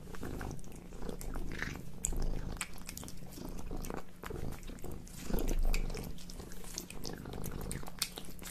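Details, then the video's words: Cat eating a hamburger indoors, close chewing and biting: wet smacking and crunching bursts with low rumbling, irregular through the recording. "Cute Cat Eats Hamburger 🥺🍔 | Cat Eating ASMR 😼"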